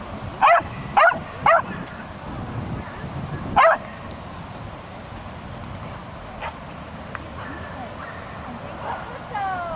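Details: During an agility run, female Swedish Vallhund Ronja lets out three rapid yapping barks, then a fourth after a pause, before the rest fades to low background noise and faint voices.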